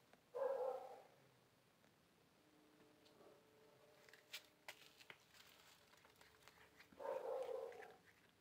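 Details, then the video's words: Hungry cats after a fight; a short meow opens the clip, several seconds of soft clicks and tapping follow, then a second meow near the end. "Cats Want Food After The Fight"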